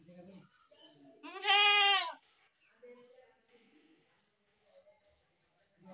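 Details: One loud goat bleat of under a second, strongly harmonic with an arched, rising-then-falling shape, surrounded by quieter mixed voices and soft background sounds.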